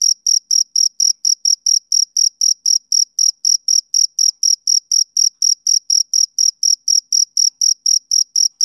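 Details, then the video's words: A male cricket sings on a summer evening, giving shrill, evenly spaced chirps at about four per second, a continuous pulsing trill with no other noise present. "Cricket Chirping Sound Effect"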